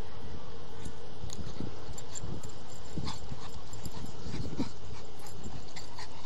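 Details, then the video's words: Blue nose XXL pit bull puppy, six months old and 75 pounds, play fighting with an eight-month-old puppy; low rough growling and huffing bursts come in quick irregular pulses with scuffling. "Blue nose XXL Pit Bull puppy play fighting"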